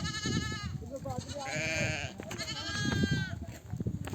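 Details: Mother sheep calling lambs to breastfeed as a nomadic flock comes home from grazing; three clear, strongly harmonic wavering bleats in quick succession, each under a second long, over low rustling and movement sounds.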